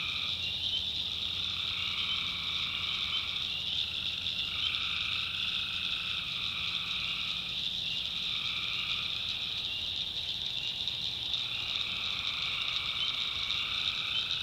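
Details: Tree frogs calling at night in the North Carolina backwoods; overlapping frog calls swell in bursts of one to two seconds, repeated throughout, over a steady high shrill hum of insects.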